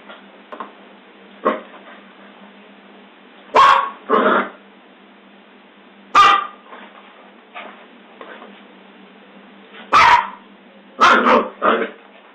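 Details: Scottish Terrier giving isolated sharp barks, some doubled in quick pairs, separated by pauses of two to six seconds, with faint low background noise in a small indoor space.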